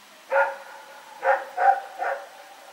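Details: Barking at night on 21 September 2018, Rex the dog lets out four quick barks, the last three closer together, over a low continuous hum.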